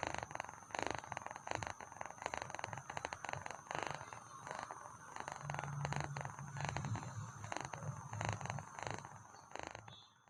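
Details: Sleepy pet cat giving a vibrating purr, continuous pulsed rumble with a faint low hum midway, fading at the end.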